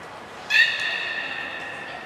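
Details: A single beluga call from a training session with Gray, Mirai and Niko at Port of Nagoya Public Aquarium, 16 December 2018. The call is a sudden harmonic squeal that starts sharply and then trails off slowly over quiet room background.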